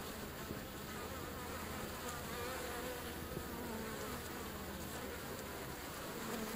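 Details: European honey bees at a wild feral hive found along a river on a hike, recorded close to the hive entrance: a dense, steady, continuous hum of many bees without pause, with a faint tonal whine from passing individuals.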